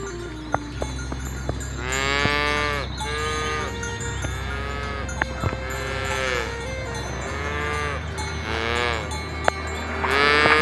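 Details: A herd of village cows driven along a rice field ditch to the livestock pen, several animals mooing in turn with long, rich, slightly falling lows, plus faint clicks and continuous music underneath.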